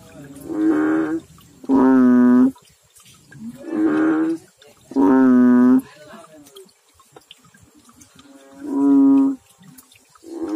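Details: Frog calls from the water, short deep droning notes of under a second, coming in pairs then singly, spaced a few seconds apart, with quiet water and background murmur in the gaps.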